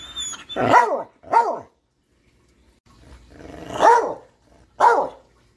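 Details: A Catahoula dog, described as talking, gives four loud barks with arched, whining pitch. Two come close together, then a pause, then two more. Faint whistle-like tones sound at the very start.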